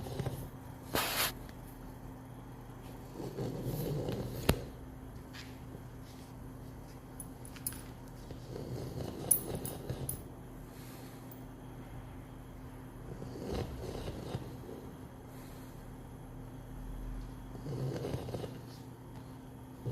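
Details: Zhora the pug snoring: soft, rough, low breathy bursts come roughly every four to five seconds, each swelling and fading, over a steady indoor hum with a few faint clicks between breaths.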